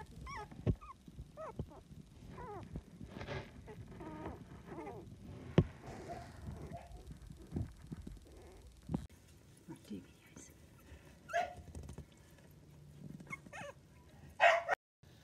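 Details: Miniature dachshund puppies, part of a litter of seven aged two to 25 days, the second litter of Coco and Chanel; thin, squeaky, rising whimpers come in short bursts, over soft rustling, handling bumps and a voice at times.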